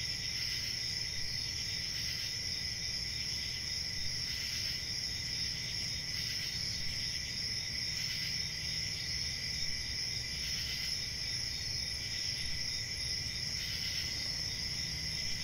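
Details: Crickets at night: a dense, continuous high-pitched chorus of steady ringing trills with faint pulsing swells every couple of seconds, over low rumbling background noise.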